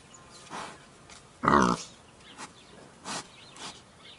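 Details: Wild boar letting out one loud rasping grunt-squeal, followed by a few brief softer snorts spaced about half a second apart.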